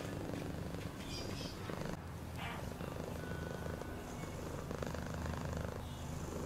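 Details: A cat purrs steadily in a deep pulsing drone, broken by a short pause around two seconds, then a breathy swish, with faint high hum and rustles behind.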